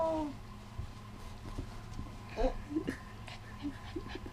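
A Shiba Inu puppy gives a brief, high, falling whine, then a few soft yips.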